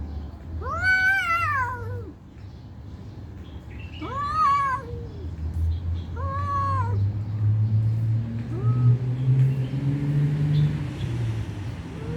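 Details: Angry cats in a fight: a loud arched harmonic howl repeated about every two to three seconds, each rising and falling, fading to softer wails later, with a steady low hum underneath.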